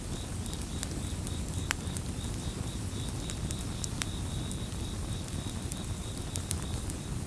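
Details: Continuous high cricket chorus of fast, regular pulses runs through the whole stretch, partly covered by the snapping, crackling hiss of a bonfire in the foreground.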